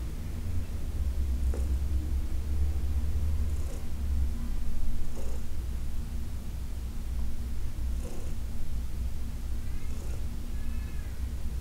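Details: Massage session with Heidi, an older adopted cat, on August 4, 2021; a strong low purr rolls on throughout, with breath swells every two seconds or so and a brief faint higher squeaky sound near the end.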